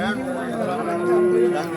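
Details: Bull calves at Kollannur market amid haggling traders: a steady, moderately loud moo lasting almost two seconds, holding a level tone that brightens midway, with background voices faintly present.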